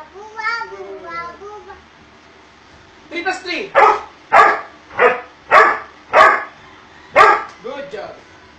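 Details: Doberman Pinscher in an obedience training session, with falling tonal sounds at first, then six loud, clipped barks spaced roughly every 0.6 seconds, over background music and voices.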